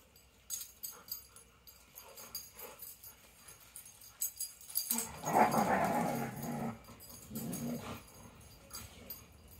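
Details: Dogs playing indoors before bedtime: scuffling and clicking noises, then a short throaty growling, whining burst with a steady tone near the middle, fading back to soft rustling and movement sounds.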